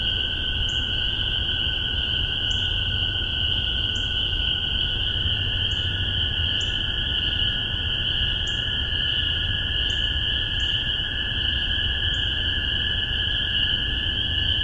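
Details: Massachusetts spring peeper chorus from spring 2015, captured on spaced omni microphones: a constant shrill wall of peeps with distinct rising notes from closer frogs roughly every second, over a steady lower droning band.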